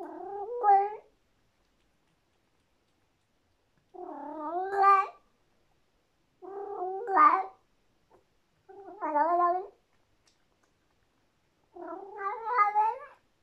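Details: A female Persian cat eating a tasty treat gives drawn-out, wavering howls of about a second each, in delight; she makes this sound only when food is very delicious and no one is around.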